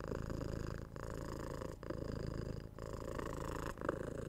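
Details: Household cat purring close up: a deep buzzing rumble in bursts of just under a second, separated by short quiet breath breaks.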